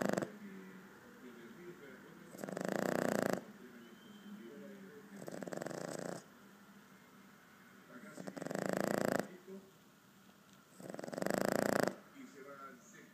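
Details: Four-month-old Boston terrier puppy snoring indoors: broad raspy snore bursts about one second long, returning roughly every three seconds, with quiet breathing between.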